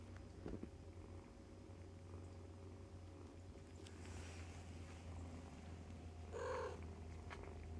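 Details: Fostered domestic kittens, born in early October, nursing from their mother cat and playing; a steady low rumbling purr runs throughout, with a brief louder mew-like sound near the end and faint rustling.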